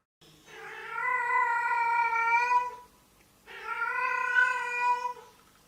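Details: A domestic cat gives two long, drawn-out wailing yowls, a mating call heard on spring and autumn nights in the street, by which a female summons males; it can resemble a human baby crying.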